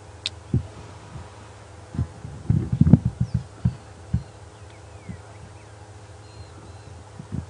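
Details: On a morning safari drive at Djuma Game Reserve on 1 July 2015, a distant lion roars in a cluster of deep moaning grunts and then slower, spaced grunts. It sounds like a big male, possibly of the Styx coalition, and seems to be coming closer.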